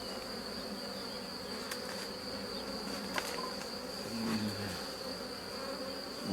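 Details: Honey bees of a rescued drone-laying colony during a hive inspection in spring, producing a steady low droning hum with layered tones, a constant high electronic whine, and a few faint clicks from handling.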